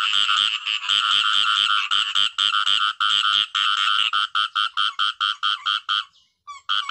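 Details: Khiat I-mo frog calling in a natural setting: a rapid series of short, harsh, pulsed croaks repeated at roughly two per second, briefly pausing near the end before resuming.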